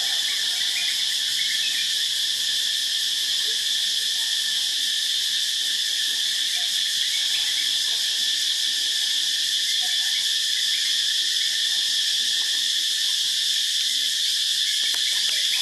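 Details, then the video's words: Loud cicadas on a morning in Phuket, a continuous high-pitched droning buzz that holds steady for the whole stretch without pause, layered in shimmering bands, with no other clear sounds above it. "Cicadas loud Phuket morning"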